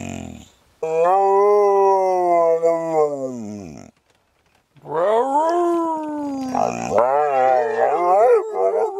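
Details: Sammie the Pooper, a little dog, howls inside an RV in a back-and-forth exchange with its owner: a long steady tonal howl falling at the end, a pause, then a wavering overlapping howl that rises and dips.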